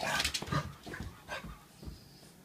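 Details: A happy male French Bulldog out on a walk, which he loves, gives rough, breathy snorts and grunts in short bursts about every half second.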